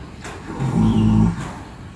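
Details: Sleeping horse lying flat on the ground, snoring: a low, droning, voiced rumble that swells for about a second in the middle and then fades, with faint background noise before and after.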